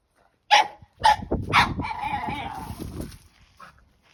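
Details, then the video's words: French Bulldog puppy Margo getting carried away playing with her stick: three sharp yaps in quick succession, then a drawn-out growling, grumbling vocalisation that fades, one faint yip at the end. "Frenchie vs. Stick! Sound On!!"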